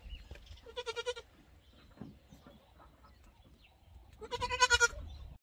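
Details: Bottle-fed Boer goat kid that knows its way to the goat house: two short, nasal, quavering bleats, one near the start and a louder one near the end, with light shuffling between.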